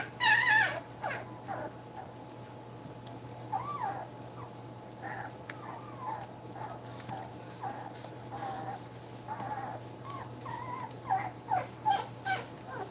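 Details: Two-week-old puppies nursing give scattered short squeaky whimpers and chirps, some rising and falling, over a steady low electrical hum.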